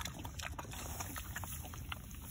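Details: Spoon-fed mini pig, a male, eating warm soup in February 2021, gives short, deep grunts repeated about every half second, mixed with faint slurping clicks.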